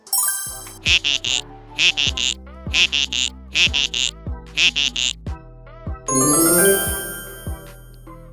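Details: A cheerful children's jingle with bright chime-like notes in quick repeated bursts, and no animal sound.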